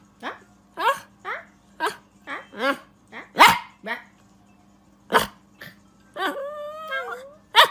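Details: A poodle puppy gives a quick series of high, sharp yapping barks, ending in a drawn-out whine.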